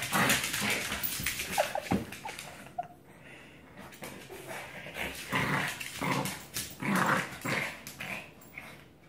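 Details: Pet dogs mid play-fight, a Yorkie and a Black Lab teaming up on a French Bulldog: gravelly growls, a few sharp barks and brief whines, with a short lull near the third second before the rough tussling resumes.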